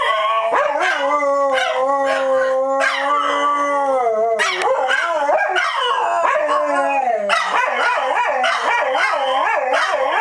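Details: Chorus of dogs at Dodger Valley on opening day: steady held howls at first, then a rising and falling swirl of voices, ending in rapid pulsing yips and barks over the sustained tones.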